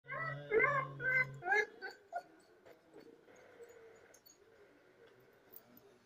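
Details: A seriously ill male Rottweiler with a fever, in pain during about five days of hospital treatment, gives a few drawn-out, tonal whining moans that fade after two seconds.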